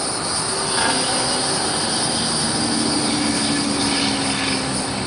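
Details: A hieroglyphic cicada (Neocicada hieroglyphica hieroglyphica) calls with a steady, high, hissing buzz that drones on without a break.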